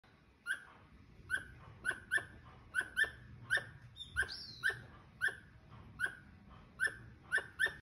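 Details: Squirrel calling in a run of short, sharp, chirping barks, each ringing with bright overtones, repeated roughly every half second in a steady series over a quiet indoor-sounding background.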